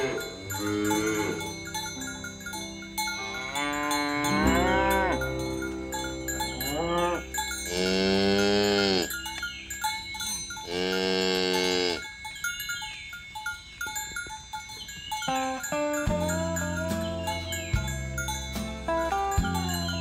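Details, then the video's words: Tame village cows driven in the morning along rural roads to grassy fields, lowing in two long, rich moos rising and falling with strong harmonics, cowbells clanking and tinkling throughout. "Suara Sapi Moo"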